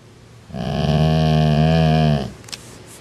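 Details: Part-Rottweiler dog growling at its canine sibling, trying to push it down the food chain; one long, steady, deep rumbling growl of nearly two seconds with rich harmonics, followed by a brief click.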